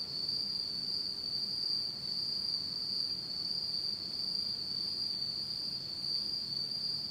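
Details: Autumn insects singing at night in Japan in total darkness: a steady, unbroken high-pitched trill holds one even tone throughout, with a faint higher overtone and slight swells in loudness. Only a soft low hum lies beneath.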